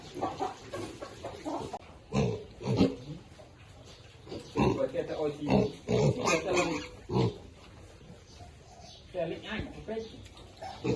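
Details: Piglets eating and sounding happy: bursts of short harmonic grunts and squeals come in clusters around two, five to seven and ten seconds, with quieter gaps between.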